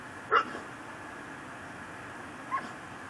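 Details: A tethered pit bull in a yard in Louisiana, recorded near midnight on December 24, 2012: one loud sharp bark followed two seconds later by a fainter single bark, with a continuous low hiss.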